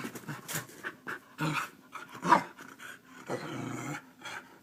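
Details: Keeshond serving as a morning alarm clock to wake its owner; repeated breathy pants and throaty grumbling whines, one louder rising whine mid-way, in a small indoor room.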